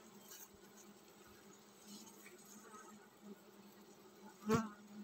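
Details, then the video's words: Honey bees in a colony about to swarm: an even, low, buzzy drone fills the recording, broken near the end by one sharp, loud knock or bump. "Tổ ong mật chuẩn bị san đàn"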